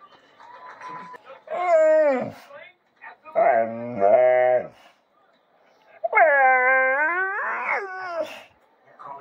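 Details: Bullmastiff whining to be fed, making vocal 'talking' sounds: drawn-out tonal moans that bend up and down, three separate bursts of one to two seconds each, loud and clear indoors.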